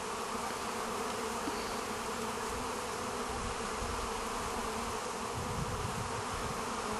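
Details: A crowd of bees feeding from a woman's hand gives a thick, unbroken hum that holds level for the whole stretch, like a constant drone with no pauses.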